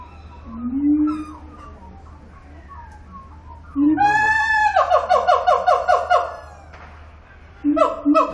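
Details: A siamang (Symphalangus syndactylus) at Zoo Antwerpen sings loud rising whoops that break into a fast run of ringing, repeated barks.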